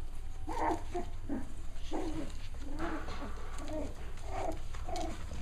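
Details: Cavalier King Charles Spaniel puppies, six weeks old, playing together: low grumbling growls and short throaty yaps come in uneven bursts over a steady low hum.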